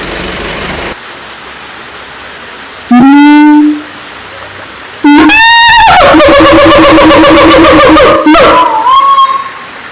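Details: Siamang giving loud, ringing calls: a short rising note, a pause, then a long run of rapid pulsed hoots on a steady tone, ending in a brief upward sweep, over a quiet hiss.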